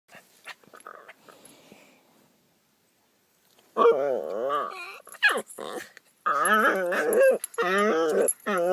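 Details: Two pet dogs making weird morning noises: wavering, whiny, howl-like cries that bend up and down in pitch, coming in bursts after a quiet start with faint rustling.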